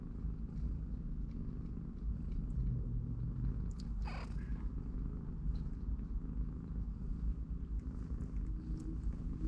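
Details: Three-week-old domestic kittens at play beside their mother cat in a cardboard box; a continuous deep purr fills the recording, broken near the middle by a brief sharp squeak-like sweep, plus soft scattered rustling and tapping.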